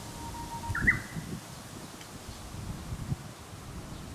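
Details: Two male Shiba Inu puppies, 36 days old, born 11 March 2018 and recorded 15 April 2018: a thin steady tone leads into one short, higher squeaky whine just before the first second, followed by soft rustling and low background rumble.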